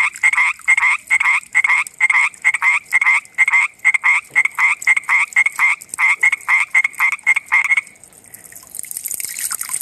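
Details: At night, a common tree frog gives a steady series of short, dry, clicking croaks, roughly two per second, for about eight seconds. The calls then stop and a soft hiss rises.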